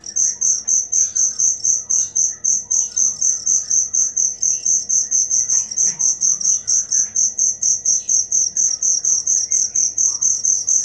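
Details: Cricket chirping steadily, a high bright pulsed trill repeated about twice per second, with faint scattered bird chirps in the background.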